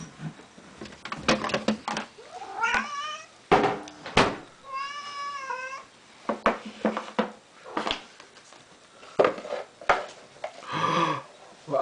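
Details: Hungry domestic cat insistently demanding food indoors, giving several clear, wavering meows, one long and bending in pitch, amid clattering, clicks and a person talking back to it.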